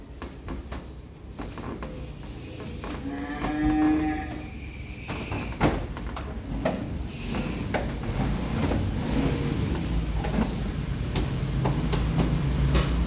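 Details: Cattle among a newly arrived stock of calves and breeding cows: a drawn-out, harmonic low moo swells for about a second midway, with scattered knocks and a steady rumble of background noise.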